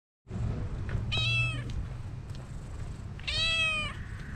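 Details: Calico cat's cute meowing that draws a black cat over: two clear, drawn-out harmonic meows about two seconds apart, each bending slightly downward, over a low steady background rumble.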